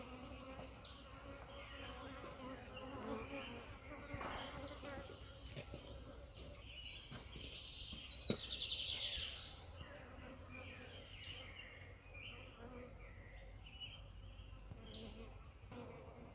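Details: Honey bees hum in a low steady drone with faint harmonic layers while a person invites them to touch a hand; a person speaks in Portuguese, and sharp bird chirps rise above the buzzing.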